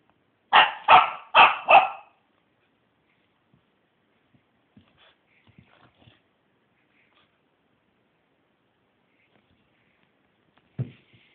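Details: Wheaten Terrier barking four times in quick succession, evenly spaced sharp barks, then near silence with faint small noises and one brief low thump near the end.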